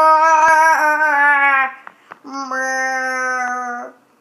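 A llama calls with two drawn-out, nasal, buzzy tones of even pitch, the first sagging slightly at its end. A couple of soft clicks fall in the short gap between them.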